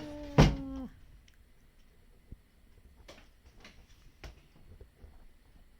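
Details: Domestic cat letting out a drawn-out "aūn" cry while yawning, a single harmonic-rich vocal sweep under a second long that drops in pitch at the end, followed by quiet room sounds and a few soft clicks.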